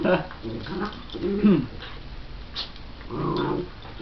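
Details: Pet dogs at play, a shih tzu/pomeranian cross and a miniature schnauzer sounding mean but friendly: a few short rough growls and yips separated by quieter gaps, with faint indoor background.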